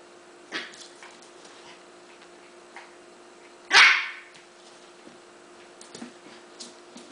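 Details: A male Shiba Inu, having found his tail, gives a single sharp, high yip-like bark amid otherwise quiet surroundings.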